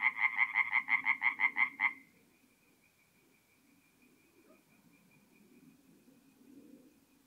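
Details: A nearby tree frog sings about ten loud, evenly spaced nasal croaks over two seconds, then stops, leaving a faint distant chorus; recorded at night at a forest pond in north-east Italy in mid-April.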